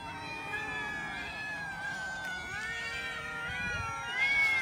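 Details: Cats eating raw chicken give several long, overlapping meows with bending harmonics, growing louder toward the end, against light background noise.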